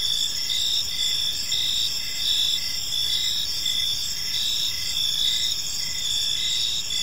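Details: Evening park chorus of crickets, high bright chirps pulsing in overlapping bands, unbroken throughout, with soft low ambient noise underneath.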